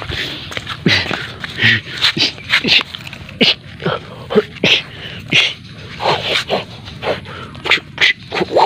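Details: Playful black dog play fighting in a kung fu hand fight: breathy snorts, huffs and short yips in quick bursts about every half second, with a faint whimpering tone and a little human voice in the background.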